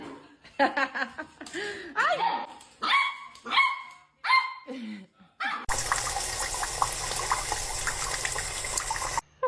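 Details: Dog in a comedy compilation giving a run of short harmonic whines and yelps that rise and fall in pitch, several in the first five seconds, followed by a loud wash of rushing, water-like noise.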